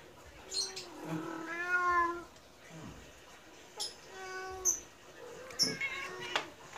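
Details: Medium Persian cat meowing to beg for food just after being fed. Two drawn-out, harmonic meows that rise then fall, the second shorter, with a person softly repeating a syllable nearby.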